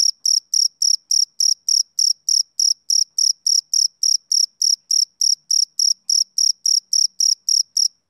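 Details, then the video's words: Male cricket chirping, a shrill high note pulsed evenly about 3.5 times per second, roughly twenty-nine chirps over eight seconds. The surroundings are silent. "Cricket Chirping Sound Effect"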